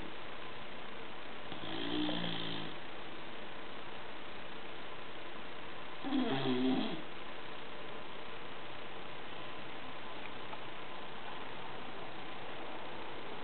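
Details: Gordo the bulldog snoring while asleep in a quiet room, two rough, buzzy snores about four seconds apart and a faint third one, soft background hiss between them.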